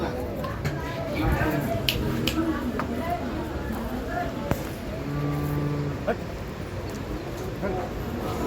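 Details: Holstein Friesian cows kept for sale at a dairy farm near Ghodegaon, Shani Shingnapur, India; one low, steady moo lasting about a second, surrounded by background noise, a man speaking and music.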